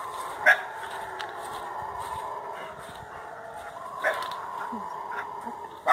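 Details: Howler monkeys (guariba) in forest roar in a distant, droning chorus that at times seems to approach, with a few short, sharp barks breaking through; the dominant male, with a large throat, is said to lead the noise.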